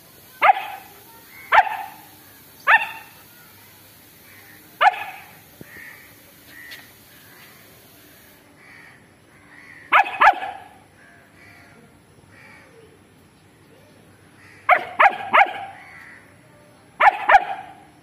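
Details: Barks from a long-coated German Shepherd wanting to fight a stray dog: a run of single harsh barks about a second apart, then a pause with soft whimpers, then clustered double and triple barks.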